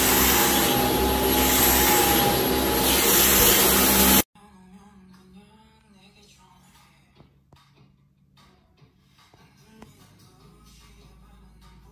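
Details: A loud roaring, vacuum-like noise mixed with music runs for four seconds, then stops abruptly, leaving quiet indoor ambience with faint clicks and rustles.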